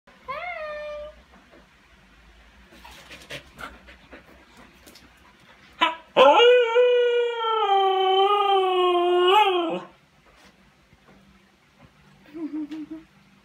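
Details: Siberian Husky howling: a long harmonic-rich howl of about four seconds, wavering and slightly rising before dropping away, preceded by short yips and whines, with a brief whimper near the end.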